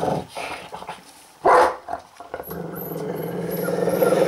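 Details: An eating dog turns angry: low muttering growls, then one loud snarling burst, then a steady rumbling growl with faint high squeaks in the background.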